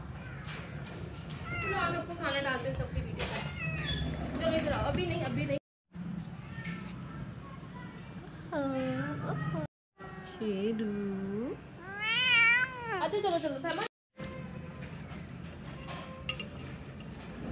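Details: Big cat Shero meowing repeatedly: drawn-out, bending calls, then a higher wavering meow near the end, with a person talking in Hindi-Urdu throughout and short silent breaks.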